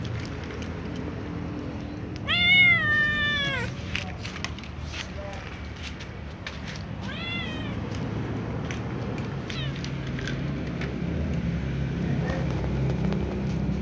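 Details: Small ginger cat, left leg sprained and sore, meows loudly in a long wavering cry, then three shorter falling mews spaced a few seconds apart, with low rumbling background noise and faint voices.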